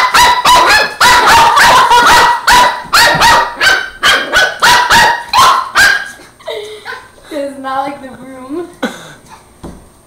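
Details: Border Terrier puppy barking at and fighting a broom indoors: a fast run of sharp, high barks about three per second for six seconds, then softer whining yelps, with a person talking.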